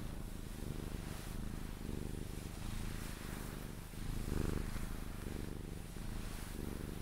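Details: Sphynx cat purring during cuddles before sleep; low rumbling purr partly masked by rustling and handling noise, with a louder swell of rumble midway.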